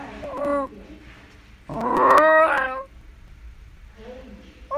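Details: Shiba Inu at home gives a short whimpering cry, then a louder, strained howl held for about a second with bright harmonics, fading to quiet whines at the end.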